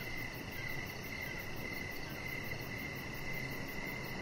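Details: Evening crickets near a deck with a resting chihuahua puppy, Rocket; a shimmering, nearly continuous chirp band broken by short gaps, with a thin high trill and soft low rumble underneath.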